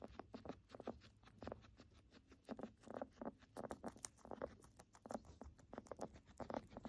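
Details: Guinea pig; crackling breathing; sign of respiratory illness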